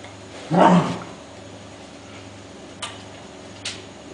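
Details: Five-week-old Welsh Corgi puppies at play, exploring and tussling: a single short, harsh bark near the beginning, then quiet with two brief clicks later and a constant low hum.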